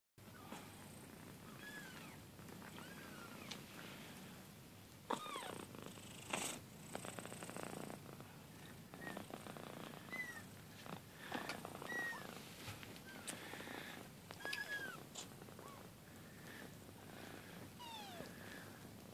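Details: Two-week-old kitten purring steadily and low, broken by many short, thin, high mews that bend downward. The mews come irregularly across the stretch, with a few soft knocks and rustles indoors.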